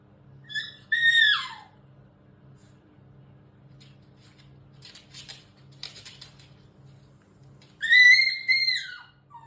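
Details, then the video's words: Indoors, a Shiba Inu makes its odd puppyhood scream, the way it talks to its mother: high, quavering squeals that fall in pitch, one pair near the start and another pair at the end, with soft clicks and a low hum between. "Shiba-inu and their strange sounds. They talk like this to their mothers from childhood."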